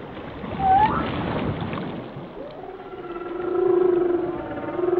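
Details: Whale song: a short high whistle opens, then a long, low, wavering moan rises and falls over a background of underwater hiss.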